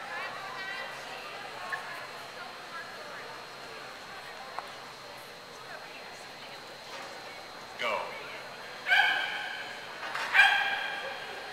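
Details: Clumber Spaniels at Concord in November 2009; after quiet murmuring, three loud harmonic barks or yelps ring out near the end, each rising then falling, spaced about a second apart over a background of crowd voices.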